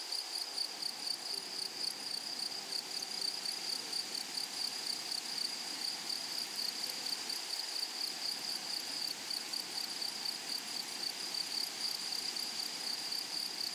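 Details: A dense, unbroken high-pitched buzz from grasshoppers in a flowery meadow, steady in pitch with fine rapid pulsing and a faint higher overtone. Nothing else stands out.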